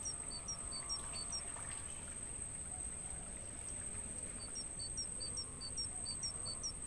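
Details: Mangrove forest crickets, meant as songbird training audio. Their shrill, steady trill holds without a break, while a bird repeats quick downward-slurred chirps in two bursts, roughly two per second, above a low rumbling background.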